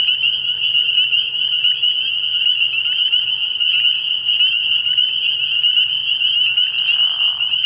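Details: Early-year frog pond at night filled with spring peepers: a tight, piercing chorus of high peeps running without pause, a low hum beneath, and a short lower-pitched burst near the end.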